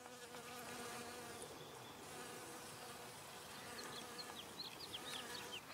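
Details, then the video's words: Soft, even buzzing of a honey bee visiting flowers for nectar, overlaid toward the end by a series of sharp, repeated high bird chirps. "Honey Bee Humming Sound"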